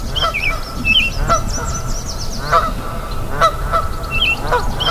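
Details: At a river, siamangs and birds answer one another: a series of short, honking bark-like notes spaced about a second apart, interleaved with quick twittering bird phrases and sharp high chirps against constant rushing background noise.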